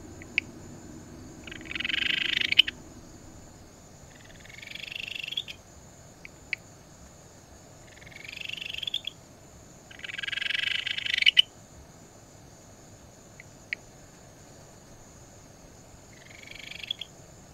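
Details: Ryukyu Kajika frog, a tree frog of the Rhacophoridae found from the Tokara Islands through Amami to Okinawa, calling. Short, bright trilled phrases rise and swell, repeating every few seconds, with brief clicks between them on a quiet background.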